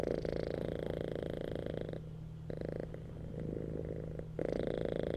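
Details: Indoor cats purring while lying on a bed: a strong, throbbing purr that softens for about two seconds in the middle and then returns at full strength.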